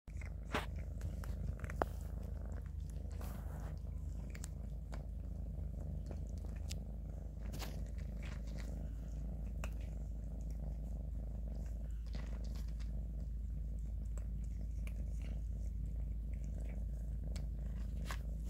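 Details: Two kittens, Grayie eating while Shoey licks him, with a steady low rumbling purr running throughout, broken by sharp clicks and ticks of chewing and licking close by indoors.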